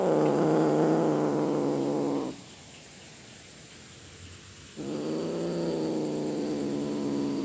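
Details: Cat making low, rough, sustained growling moans with a buzzing, pulsing texture, two long stretches broken by a quiet pause of about two seconds; presented as a cat roaring.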